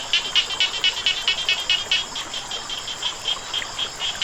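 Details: Frog chorus by running water, a steady train of short, high clicking croaks at roughly four per second, with continuous water noise beneath.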